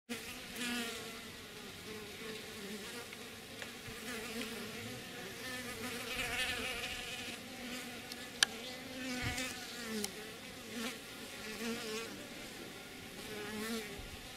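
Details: Honey bees drinking from a water dish at the hive in Lafayette County, Mississippi, in February hum with a steady, layered wingbeat drone as several fly close together.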